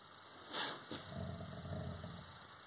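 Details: Tuffy, a rescue dog, playing and play-fighting with Lily: after a short breathy burst comes a low, rumbling, pulsed growl lasting about a second and a half. A steady high electronic whine runs underneath.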